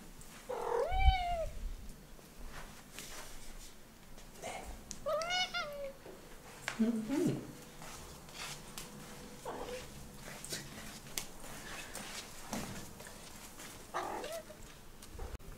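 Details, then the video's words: Domestic cat giving a series of chirpy, rising-then-falling mrrp trills while walking to her room, several spaced calls over a quiet indoor background with faint footstep sounds. "The Walk of Mrrps"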